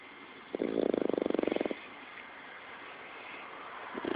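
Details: A French Bulldog snores, each rattling, fluttering inhale lasting about a second before the next begins.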